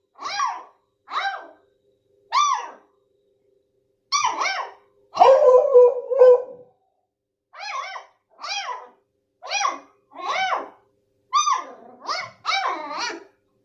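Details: Dog barking in a rapid, irregular series of short, bright yelps, several in quick succession, with one longer, lower, drawn-out bark midway; otherwise quiet background.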